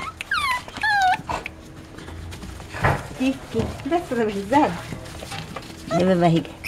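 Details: Litter of Dachshund puppies born 5 February 2013 in Itapetininga, São Paulo, Brazil: high whistled whines sliding downward, then later nasal yelping whimpers, with Portuguese speech between.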